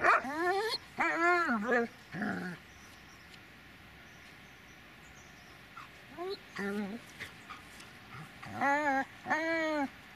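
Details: Dobermann named Magmar Von Der Burgstätte giving arched, harmonic whining yelps in short bursts near the start, around six seconds and near the end, with a quiet gap between and a voice nearby.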